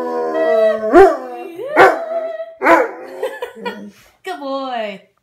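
A Rottweiler gives a wavering, tuneful howl broken by sharp barking yelps.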